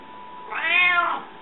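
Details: A hungry pet cat, Rika, lets out one clear meow lasting roughly 0.7 seconds, swelling then fading with a falling tail, over a quiet indoor background.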